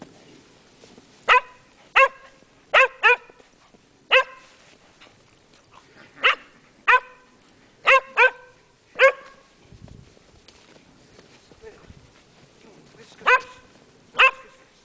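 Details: On snowy Llanllwni Mountain, Megan the Welsh Springer Spaniel barks roughly a dozen times, short bright yaps in loose clusters of one to three, with a long pause before the final pair.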